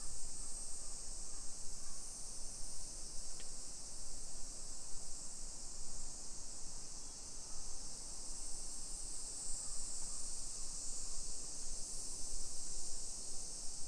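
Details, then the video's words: Summer cicada chorus in Nisshin city, Aichi Prefecture, Japan, recorded at 1 PM on 28 July 2021 during a walk through a hillside residential area. A constant high sizzling drone fills the clip, with a brief sharp tick near the start. "Summer Cicadas Sounds"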